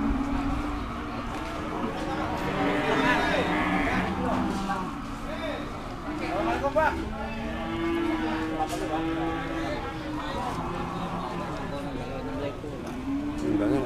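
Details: Cattle at the Dimoro cattle market, Blitar, amid a busy crowd: repeated low moos from several animals overlap with people talking, engine noise and occasional knocks.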